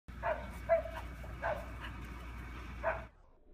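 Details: Dog barking while playing with big bubbles. Usher and Farrah are the dogs named, though not which one barks. Four short, muffled barks fall at uneven gaps over about three seconds, with a low steady hum underneath.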